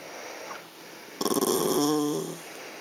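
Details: Female Yorkshire Terrier complaining angrily because she can see a treat inside a clear box but cannot get it; one rough, pulsing grumble that turns into a nasal, wavering whine lasting about a second, then quiet.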